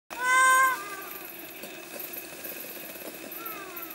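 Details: Ring-tailed lemur at Anja Reserve: one loud, cat-like meowing call that falls slightly in pitch at the start, followed by a much fainter, similar call, over a steady background hiss.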